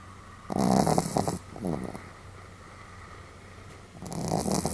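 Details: Sam the Pomeranian snoring fairly heavily on 31 July 2015: a loud rasping inhale with fluttering snort at the start, a quiet pause, then another rough snore beginning near the end, steady low hum beneath.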